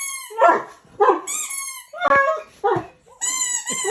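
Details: A dog cries on hearing a squeaky sound, giving wavering whining wails about once a second, alternating with high, thin, pure squeaky tones.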